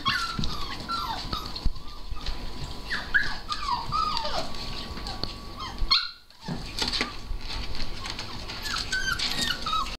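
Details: Siberian Husky puppies whimper and yip in excited, rising squeals, layered over one another, as their owner greets them and asks whether they missed her.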